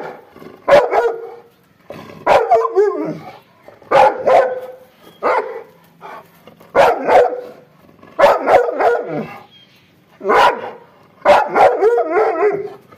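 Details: Angry dog barking in rapid, uneven bursts of harsh barks, some doubled or tripled, about a dozen volleys over thirteen seconds, no other sounds.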